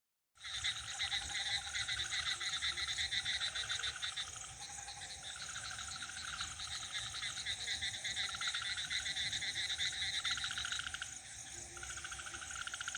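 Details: A dense village night chorus of croaking frogs, with the steady high trilling of crickets throughout.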